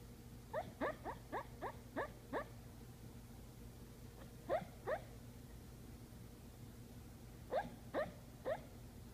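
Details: Patterdale terrier barking and yipping while asleep indoors: short, muffled, rising yips in bursts. Six come quickly at the start, two follow near the middle and three more near the end, over a steady low room hum.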